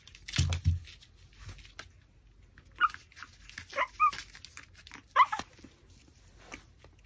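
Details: While a Pomeranian chews raw pork backbone, a few thin, high whines rise and fall between crunching bites and a thump at the start, each lasting under half a second.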